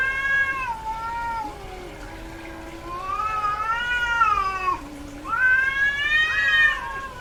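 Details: Female domestic cat calling while in heat, when vocalizing increases; three long, arched, wavering yowls alternate with a lower droning moan beneath them, loud and harmonic throughout.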